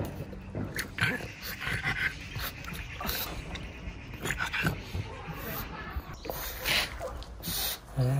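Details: Pangpang the pug, a pet dog, in a morning scene: short breathy snorting and panting bursts come in irregular clusters, some rasping higher up. Human voices appear faintly in between.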